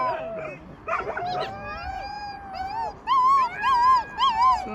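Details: Young rescued wolves howling: steady drawn-out tones from more than one pup, followed by rapid warbling, up-and-down quavering howls and short yips.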